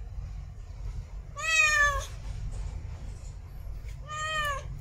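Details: Female cat in heat giving two drawn-out meows, each bowed and richly harmonic, separated by about two seconds of quiet with a low rumbling background hum.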